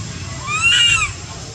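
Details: Milto the monkey cries loudly, missing his mother and wanting to go home: a single clear, tonal wail with stacked harmonics that swells, arches upward and falls away within about half a second, over a low steady background rumble.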